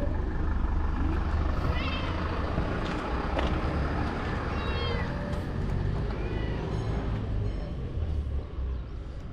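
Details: Calico cat at a ferry terminal giving small, soft answering meows when stroked: three short harmonic mews near 2, 5 and 7 seconds, each rising then falling, half-buried under a steady low engine rumble.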